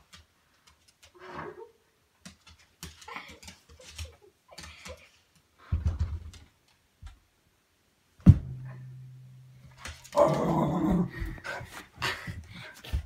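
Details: Dog making funny noises while playing indoors in a tame session: low, drawn-out growly grumbles and snuffling bursts, with a person talking and laughing in a small room.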